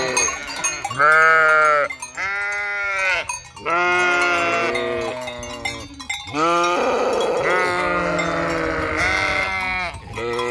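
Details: Flock of sheep bleating near the empty Hotel Fürigen, several long wavering harmonic bleats, overlapping voices, with faint bell clinks in the background.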